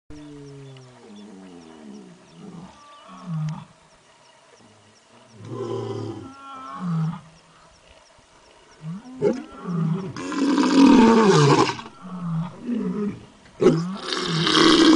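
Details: A tiger at a hilltop in Kiriburu gives deep, rasping roars and moans, building to loud, harsh bursts near the end.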